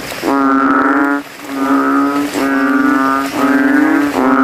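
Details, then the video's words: Banded bullfrog males calling against rivals from a puddle among graves on a rainy night, throats puffed like plastic; four resonant, droning bass moans separated by short pauses. "GENANGAN AIR MENJADI AJANG LOMBA KODOK INI BERTARUNG SUARA KERAS"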